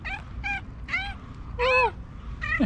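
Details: Fluffy female tabby cat in Istanbul, talkative, meowing loudly as if telling her owner something: five short harmonic meows in quick succession, roughly every half second, some rising then falling, over a low background hum.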